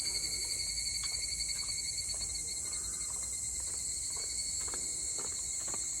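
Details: Song of evening cicadas, 22 July 2022. A dense, high, sustained buzzing whine pulses faintly at the start and then holds steady. Scattered faint clicks sound beneath it.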